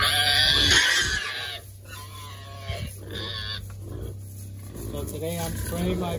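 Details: Berkshire pigs, treated against external parasites and said to be squealing with joy, give a loud, high, broadband squeal in the first second and a half, followed by a man talking over a steady low hum.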